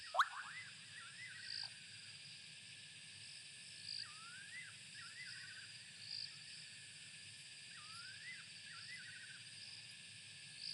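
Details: In Southern African woodland during summer, bubbling kassina frogs give short, liquid, upward-sweeping 'quoip' notes every two seconds or so, over a steady high hiss of insects, while a nightjar calls its territory nearby.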